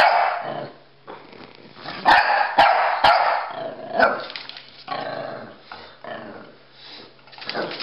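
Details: Rocky the Pekingese and Bully the Bulldog playing chase; a cluster of loud barks and growly yips near the two-to-three-second mark, then softer scuffling and smaller yaps.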